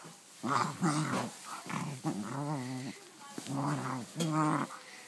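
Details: Pet dog indoors playing excitedly with its new toy, producing gremlin-like noises: a series of wavering, moaning growls with trembling harmonics, about five bursts separated by short breaths.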